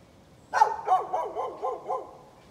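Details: A neighbour's dog barking at birds on 13 November 2020: one loud opening bark, then about five softer, quicker barks trailing off. Each one dips slightly in pitch.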